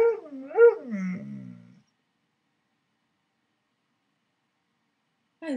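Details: Alaskan Malamute Koda in bed with its owner gives a short warbling, up-and-down howl-like phrase ending in a low grumble, then silence before another brief note begins.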